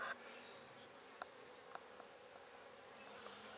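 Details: Buckfast honey bees in an opened handmade hive hum steadily and softly, a low even drone broken by a few sharp clicks and knocks from handling the frames.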